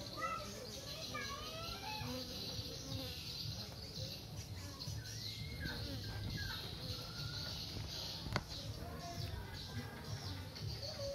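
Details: Honey bees give a steady low droning hum as they fly in and out of their hive, with faint chirps of birds in the background.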